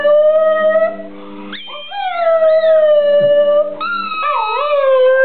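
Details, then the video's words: Border Terrier singing to a squeaky ball, a long sustained tonal howl with rich harmonics, holding steady then sliding upward and wavering, breaking into a higher wail near the end, accompanied by the ball's squeaky tones. "the singing Border Terrier"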